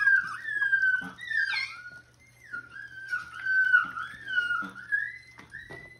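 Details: Six-week-old Miniature Schnauzer puppy from a breeder in Mission, British Columbia, playing a keep-away game with its mother. It gives high, wavering whines that slide up and down, some with a squeaky edge, in several drawn-out bouts under a steady low hum.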